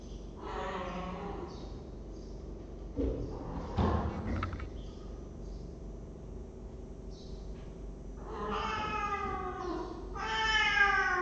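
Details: Cat room webcam, 23 December 2015: a cat meows several times, with a drawn-out bright meow at the start and two more rising, strained meows near the end, separated by thumps and quiet room noise.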